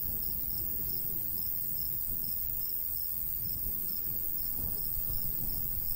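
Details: In a golden wheat field in summer, crickets keep up rapid high pulses about three a second, partly masked by a fuller rumble of breeze.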